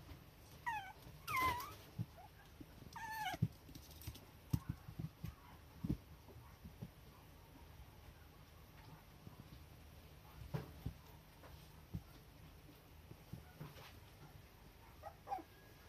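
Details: Tail-wagging, affectionate Toy Poodle puppy wanting to play: a few short, high, wavering whines in the first four seconds, then mostly quiet apart from light taps and paw clicks indoors.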